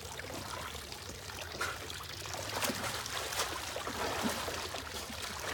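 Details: Splashing and trickling water from a pool fill the whole stretch, with no animal voice heard.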